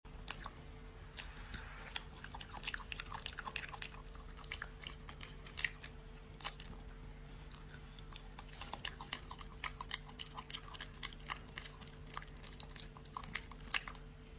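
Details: A dog eating indoors, making rapid crunchy chewing and biting clicks scattered irregularly throughout, over a steady low electrical hum in a small room.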